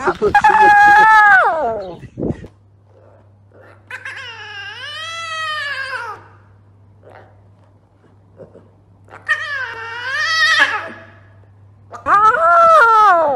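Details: Lion cubs give high, wavering, mewing roars in bursts of one to two seconds.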